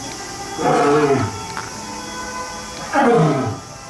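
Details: A lion or tiger at Kyoto Zoo gives two deep, throaty big-cat roars, each sliding downward in pitch, over a steady background hum.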